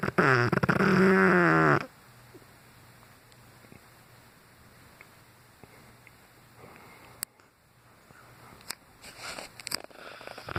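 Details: Brutus, a Cane Corso, snoozing loudly: one long rasping snore with wavering whistly overtones lasts almost two seconds, then near silence with faint clicks and rustles.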